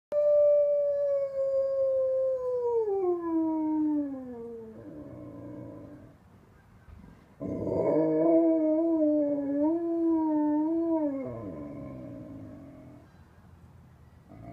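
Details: An Alaskan Malamute howls along with sirens in the distance: two long, smooth, descending howls, the first sliding steadily down, the second wavering and bending before dropping away, with a quiet pause between them.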